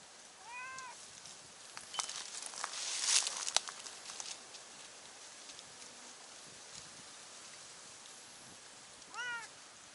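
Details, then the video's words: Stray cats on a Japanese cat island, one on a cliff communicating with one below; a short meow at the start and another near the end, separated by rustling and handling noise. "崖の上の猫が下にいる猫と交信/ Cat on cliff communicates with cat below"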